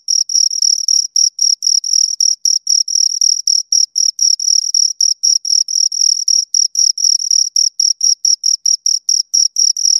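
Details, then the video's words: Pair of crickets giving continuous rhythmic chirps, bright high-pitched pulses repeated roughly four times a second with brief gaps, clean and close with no background noise. "Two Crickets Chirp Sounds"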